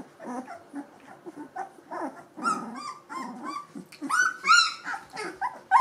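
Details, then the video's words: Litter of two-week-old Gordon Setter puppies with eyes and ears now open; soft grunting whimpers build into shrill, wavering squeals and whines from several pups at once. "Gordon Setter Welpen E-Wurf #03"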